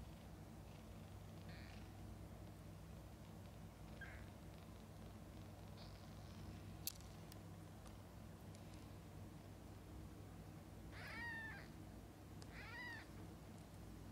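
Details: Domestic cats, a mother cat with her kittens: after a long stretch of low steady hum, two short arched meows come late, close together, the second slightly clearer, with faint scattered clicks earlier.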